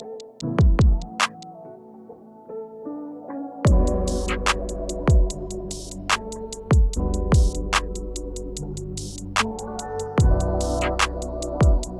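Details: Electronic music with heavy bass drum hits and synthesizer tones, with no animal sounds.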